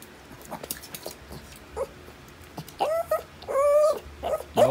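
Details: Shih Tzu at breakfast being offered scrambled egg; drawn-out nasal whines and yelps, rising and wavering, several in quick succession near the end, with a person speaking briefly before.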